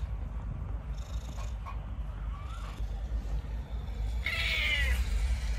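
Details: A clingy, cuddly house cat that enjoys staying near its family lets out a short, bright meow near the end after a few faint chirps, over a steady low rumbling background hum.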